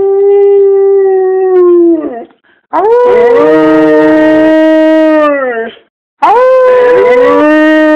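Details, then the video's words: Howling pet dog urged on by its owner, drawn-out mournful tones: one long falling howl, a brief pause, a sustained three-second howl, then another rising howl after a short silence. "Making my dog howl"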